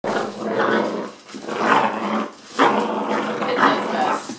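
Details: Eight-week-old puppy brothers growling while playing tug of war with a stuffed toy, fostered at an animal rescue; rough, noisy growls in bursts about once a second, with a person speaking.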